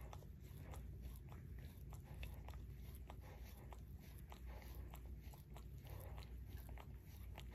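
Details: Paw licking by Barry, a pet Shorkie: rhythmic moist tongue smacks repeating roughly three times a second, close and clear against a steady quiet indoor background.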